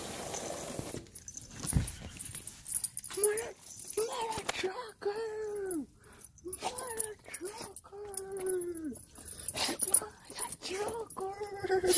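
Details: Siberian Husky crying at a happy reunion with its owner after a week home alone: a run of arching, wavering whines, each rising and then falling, broken by short pauses, with clear overtones and some household clatter.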